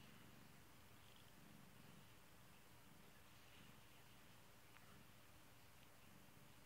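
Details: A cherished kitty purring in a gentle, unbroken rumble, low and evenly pulsed, with a couple of tiny clicks partway through.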